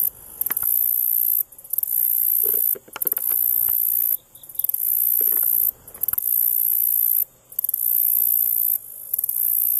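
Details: Male black-legged meadow katydid singing from a stem of Ipomoea quamoclit in Boone County, Missouri: very high, hissing buzzes about one to one and a half seconds long, each opened by a few sharp ticks and separated by brief pauses.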